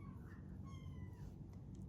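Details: In the morning, while kittens are greeted and petted, a domestic cat gives two soft, tonal meows over a steady low rumble of purring.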